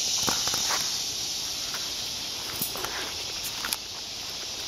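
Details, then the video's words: Cicadas in woodland: a steady, hissing high drone holds without pause under the crunch of footsteps on a walk through the woods, with a few brief rustles. "Walking Through the Woods with Lulu Listening to the Cicadas"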